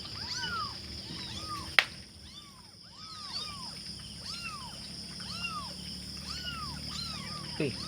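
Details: Five hungry kittens calling their mother, a run of short arched mews roughly every half second, fairly even, with a sharp click near the start and a steady hiss behind.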